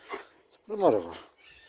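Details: Dobermann dog giving a single voiced, harmonic bark of about half a second that swells and then fades, preceded by brief soft voice-like sounds in a quiet indoor setting.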